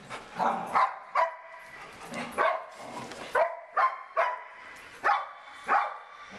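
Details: Barking dog playing with a bird, giving roughly ten quick barks, some in close pairs, at an uneven pace against a quiet room background.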